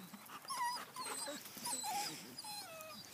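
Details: German Shepherd puppies playing in a yard, giving short high-pitched whines and yelps that rise and fall in quick bursts, with faint bird chirps behind.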